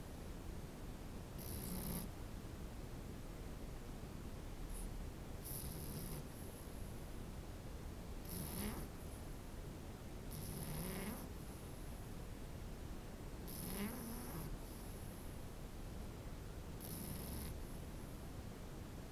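A sleeping French Bulldog puppy snores with low, rumbling breaths that end in a brief airy hiss. The snores come regularly, roughly every three seconds, over a soft, constant background hum.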